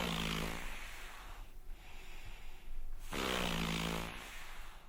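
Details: A seal of the southernmost seal species, from the South Pole region, gives two low, rasping, snore-like grunts, each under a second long and about three seconds apart, with a wet, breathy quality between them.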